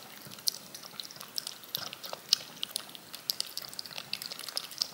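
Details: Cat lapping yogurt from a spoon: crisp, wet tongue clicks in irregular bursts, a few louder smacks standing out, otherwise a quiet background.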